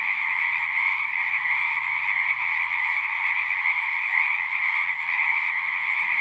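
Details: Chorus of many frogs at a pasture pond: unbroken, overlapping trills merge into a steady high droning wall of sound throughout, with no breaks and nothing else clearly heard.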